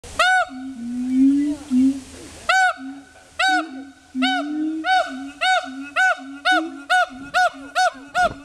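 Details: Siamangs at Dubbo Zoo give loud, hooting barks that come faster and faster over a lower, droning tone.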